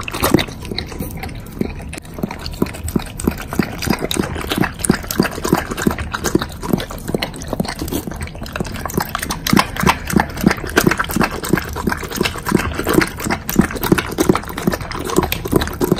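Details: A pet Doberman chews through a heap of bacon in a close ASMR recording. Steady, moist smacking and crunching repeat rapidly and unevenly throughout, with no other clear sounds.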